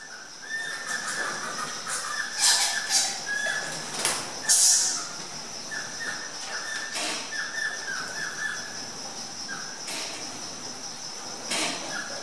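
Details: Egyptian fruit bats (Rousettus aegyptiacus) in a walk-through bat cave exhibit give harsh, squealing squeaks and sharp clicks in short, irregular bursts while feeding, pushing past whoever blocks the bowl.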